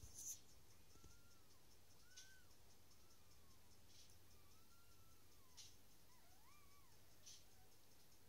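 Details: Dachshund puppies coming into the world: quiet high squeals, arched and wavering, some drawn out and dipping, scattered across several seconds amid a constant low hum and occasional sharp taps.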